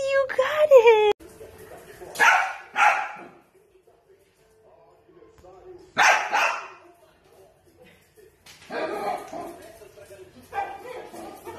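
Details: Dachshund giving a string of short, sharp barks in separate bursts spread over several seconds, with quiet gaps between them. A brief whining tone comes first, and human speech is mixed in.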